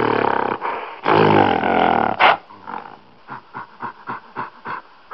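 A gorilla gives harsh, rasping roars for about two seconds, then a quick run of short, punchy pulses, about four per second.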